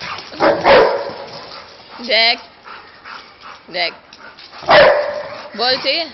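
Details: One of two playing Labrador Retrievers lets out short, explosive barks, two strong bursts a few seconds apart, with higher tonal yelps and a person calling about the ball between them.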